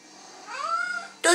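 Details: Female pet cat meows insistently at night, wanting water from the sink: one smooth upward-sliding meow lasting under a second, ending as a woman asks in French whether she is thirsty.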